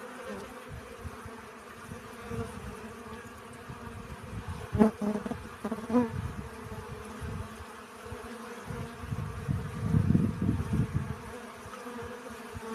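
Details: Honey bees collecting pollen: a steady low buzzing hum with bands near 200 and 500, swelling louder as bees pass close around 5 and 10 seconds, with brief crackling bursts.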